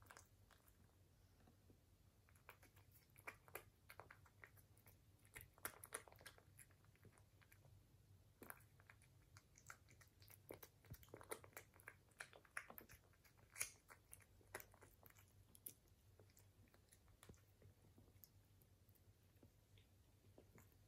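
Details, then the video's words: British Shorthair cat crunching food indoors, recorded close for ASMR: a dense, steady run of crisp biting and chewing clicks, with louder crunches clustered in the middle, over a constant low room hum. "ASMR CAT eating - British Shorthair Cat"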